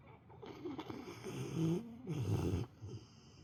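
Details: Napping female pet dog snoring like an old man: two rough, throaty breaths, the first drawn out over about a second and a half, the second shorter and louder, with a faint wheezy edge.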